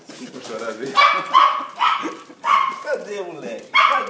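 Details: Cocker Spaniel named Thor, reunited with his owner after 14 months apart: high, strained whining yelps rising and breaking in short bursts, mixed with a woman's tearful, excited Portuguese speech.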